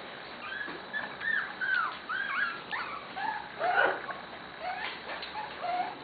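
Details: Corgi puppies from three litters playing together in a play yard: many overlapping high, thin whines and yips, rising and falling, rough and continuous, with a woman's voice nearby.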